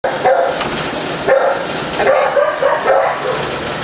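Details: Several dogs barking in kennels, distracting a dog being assessed; overlapping yelping barks come in quick bursts about every half second, with a reverberant indoor echo.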